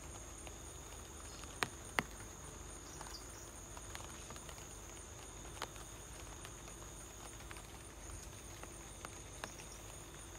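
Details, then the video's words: At home in light rain, a cricket keeps up an unbroken high-pitched trill, accompanied by irregular patter of raindrops and a couple of louder taps early on. "light rain + cricket sound"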